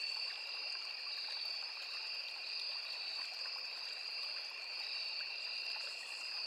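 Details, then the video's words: Forest insects, crickets and cicadas, by a small river give a continuous shrill double-pitched drone that barely wavers, layered over a soft rushing stream. "Sound of Forest and Small River | Crickets, Cicadas, Insects"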